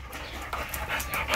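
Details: Female Labrador Retriever, one of two kept in Navojoa, Sonora, Mexico, panting in short quick breathy bursts, with a woman's voice speaking nearby.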